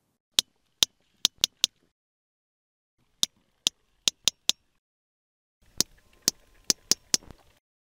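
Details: Sperm whale (Physeter macrocephalus), click codas: communicating with a nearby whale.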